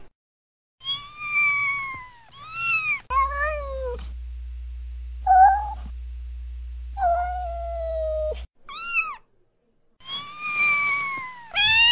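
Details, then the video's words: Cat heard in a string of separate meows, some low and plaintive, others high and short, with quiet gaps between them and a steady low hum running under the middle section. "KEDİ SESİ İLE KEDİNİZİ YANINIZA ÇAĞIRMA-Cat Meowing"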